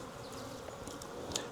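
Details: Wild honey bee swarm being collected from a tree branch into a five-frame nuc box; dense steady buzzing hum of many bees with a few faint high clicks and knocks.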